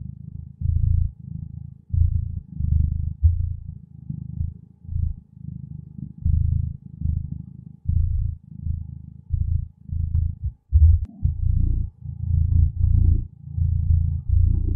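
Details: Gentle purring of a contented cat, deep low rumble rising and falling with each breath, bursts roughly every second, steady and unbroken apart from brief pauses, nothing else audible.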